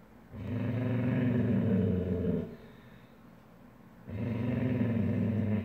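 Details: A female Weimaraner gives two long, deep, rumbling growls separated by a brief pause as her sister, having torn up her own bed, tries to bully her out of her comfy bed.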